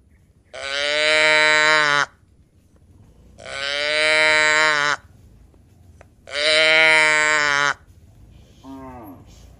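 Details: Tame cattle in a herd walking along a mining road toward a green village: three long, even moos of about a second and a half each, spaced roughly two seconds apart, followed by a short, lower, falling call at the end.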